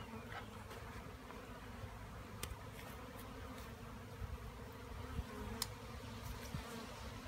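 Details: Bees buzzing in a steady, low droning hum with layered tones, broken by faint scattered clicks and taps.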